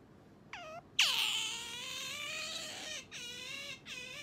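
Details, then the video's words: Pet otter Sakura demanding its owner get up in the morning: a short squeak, then a long shrill whine held for about two seconds, followed by two shorter falling squeals. "朝は静かに起こしてくれないカワウソ Otter coming to wake me up"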